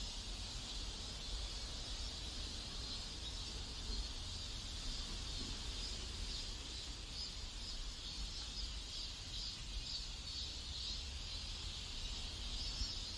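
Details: Cicadas in a South Korean neighborhood make a shimmering, slightly pulsing high buzz that wavers gently in intensity, over a soft low background rumble.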